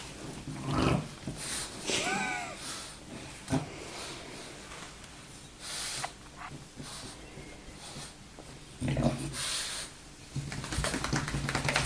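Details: Baboo the French bulldog, waking with difficulty from a nap indoors, gives scattered low snorts and heavy breaths, with a brief rising whine-like sound early on and soft clicks and rustling in the room.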